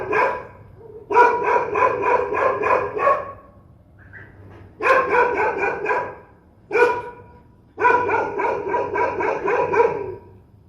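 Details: Ferocious dogs barking furiously in repeated bursts, each a rapid string of five to seven harsh barks, broken by short silences and a single isolated bark before the final volley.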